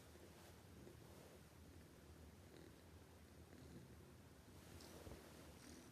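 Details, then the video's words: Sleeping cat snoring loudly: a soft, steady low rumble continues throughout, with faint breathy rustles and a brief higher hiss near the end. "This cat snoring too loudly, can't let it sleep"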